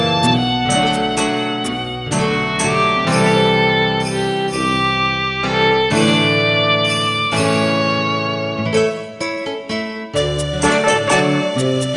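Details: Bright instrumental music with fiddle and plucked guitar over a steady bass, playing throughout.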